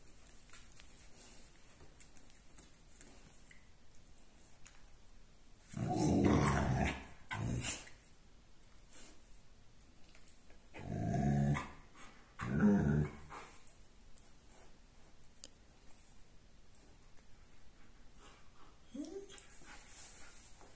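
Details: Six-week-old Alaskan Malamute puppies from a litter of four males and two females give low, rough growling bursts between quiet stretches.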